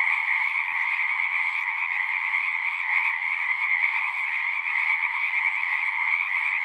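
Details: A crowd of singing frogs heard in nature, their rapid overlapping trills fused into a bright, continuous buzzing chorus that swells slightly midway.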